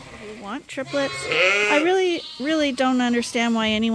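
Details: Bottle-fed lambs at a farm, topped up twice daily because their mothers give too little milk, uttering long, wobbling bleats, one rising and falling, followed by steadier drawn-out cries from more than one lamb.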